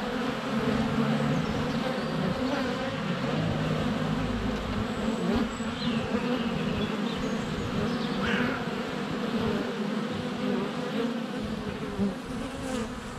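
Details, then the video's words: Honey bees constantly flying past a GoPro Hero 7 Black at the hive entrance on a sunny February day; loud, unbroken droning buzz, with brief high bird whistles and chirps sliding in the background. "Honey Bees - ambient video and audio"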